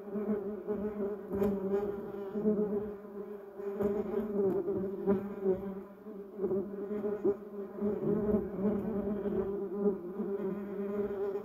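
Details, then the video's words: Bumblebees foraging around yellow cassia and duranta erecta shrubs, their overlapping low hums forming a continuous drone that rises and dips in loudness, with brief sharp ticks scattered through it. "Buzz Bumble Bees Sound Effect"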